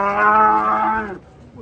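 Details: Cattle bellowing while being unloaded from a truck: one loud, steady moo with rich layered harmonics, held for about a second before cutting off, followed by faint background noise.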